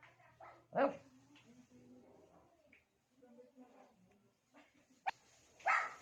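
A Shih Tzu gives two sharp barks between soft, low whines to get another dog's attention.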